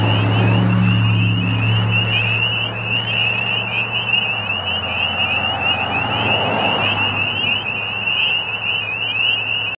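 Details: Spring peeper (Pseudacris crucifer) mating chorus near spring at Middle Creek Wildlife Management Area, Pennsylvania: countless high, piercing peeps overlapping without pause above a low rumble, with geese on a pond at sunset.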